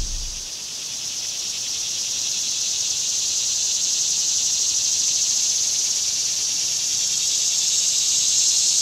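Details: A cicada in summer, a steady dense high buzzing drone that runs unbroken throughout, swelling slightly louder toward the end, with no other clear sounds.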